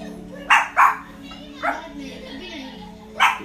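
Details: Indoor Chihuahua barking at wolves shown on television during The Jungle Book: four sharp, high yapping barks, two in quick succession, one after a pause, and a last one near the end, over a steady hum of the television soundtrack.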